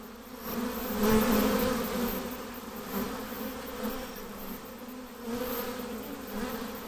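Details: Honey bee swarm being hived. A dense, steady buzzing hum swells and fades over several seconds, with a low droning tone and a brighter overtone above it.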